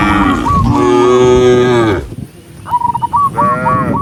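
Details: Cows walking neatly toward the barn in an enormous herd. One long, steady moo holds for about two seconds, then a quieter gap, then higher stuttering calls from other animals.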